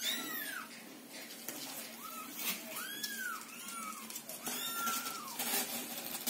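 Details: Several Scottish Fold and Scottish Straight kittens meow loudly while waiting in a box as their little house is cleaned, mother cat nearby calming them; high, arching meows rise and fall, about five in quick succession, over faint room noise.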